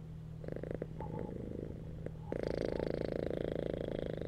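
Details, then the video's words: Purring domestic cat relaxing on a bed: a soft, quieter rumble for the first two seconds, then a louder, continuous buzzy purr takes over, with a steady low hum running underneath throughout. "CATS PURRING RELAXING CAT VIDEO"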